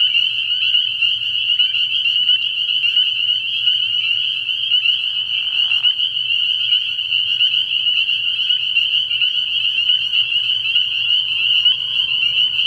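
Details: Spring peepers calling at night in early spring from a frog pond: a dense, unbroken chorus of high, shrill peeps layered into a steady ringing wall, with one short lower rasping burst near the middle.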